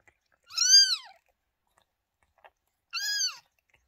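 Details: Domestic cat Lola with her two newborn kittens, born 28 May 2023. A pair of shrill, rising-then-falling mews, each under a second, separated by a brief pause with faint rustling between.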